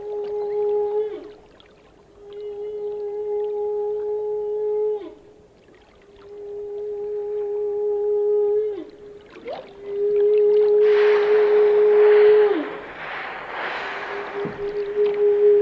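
A whale sings long, steady mid-pitched tones, each ending in a quick downward slide.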